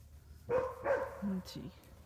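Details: At the Southern Ohio Wolf Sanctuary, a wolfdog makes two quick, bright, whining cries in close succession, followed by lower murmuring voices and a person speaking warmly to the animal.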